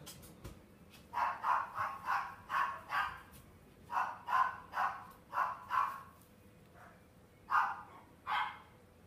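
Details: Miniature Schnauzer at the WE ARE One pet shop in Machida, Japan: quick runs of short, sharp yappy barks, about six in each of two bursts, then a pause and two more single barks over a low steady hum.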